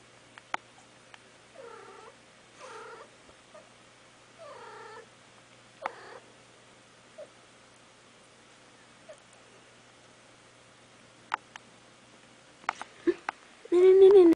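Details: A mother cat softly calling her kittens: brief rolled trilling chirrups spaced a second or more apart, scattered taps and knocks, then a loud drawn-out meow at the very end.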